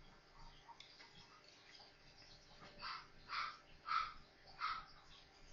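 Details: Newborn Maltese pups, four of them at play together, give a run of four short whimpering squeaks about half a second apart after a quiet, faintly rustling start.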